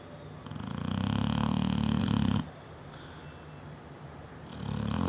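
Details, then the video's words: Sleeping 7-year-old Neapolitan Mastiff Bella snores loud enough to be heard through the whole house: a deep, vibrating inhale of about two seconds, a quiet pause, then the next rumbling breath beginning. "NEAPOLITAN MASTIFF SNORING"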